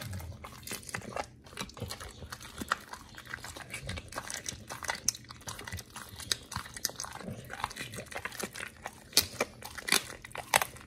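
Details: Two dogs, Oli and Nomy, eating raw meat on a prey-model raw diet indoors; dense wet crunching and tearing bites, irregular clicks and smacks packed tightly through the whole stretch.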